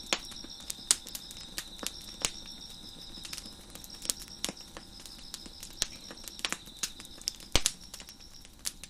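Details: Crickets chirp in a steady, high trill at night beneath the sharp pops and snaps of a crackling fire on a deck.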